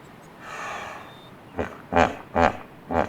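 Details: Hippopotamus in its natural habitat in Africa, four loud, deep snorting grunts about half a second apart, following a faint breathy rasp at the start.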